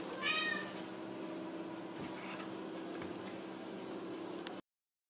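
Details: Ragdoll kitten born and raised indoors at a cattery in central Kansas, no cages used, gives one short, high-pitched, harmonic-rich mew right at the start, followed by quiet room hum and faint rustling.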